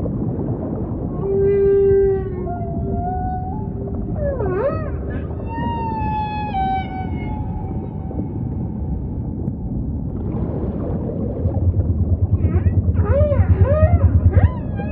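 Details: Humpback whale song set in ocean ambience: long tonal moans, a steady low hum near the start, then rising and falling whistled sweeps and stacked harmonic wails, with a rapid run of pulsed upsweeps near the end over a constant low rumble.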